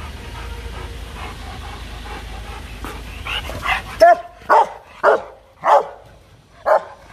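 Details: A male Rottweiler in an aggressive fit barks loudly in harsh, threatening bursts, one roughly every half second to second, with music playing.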